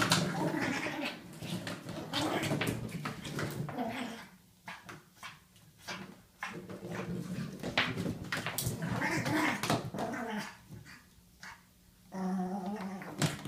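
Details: Ollie, a pet pug, going crazy on his toy indoors: rough snorting growls and whimpers in rapid uneven bursts, broken by brief quiet gaps, with thumping toy noise and faint speech.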